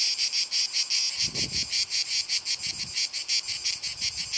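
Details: Cicada orni singing a steady series of high, rasping buzzy pulses, about three each second, with faint low thumps in the background.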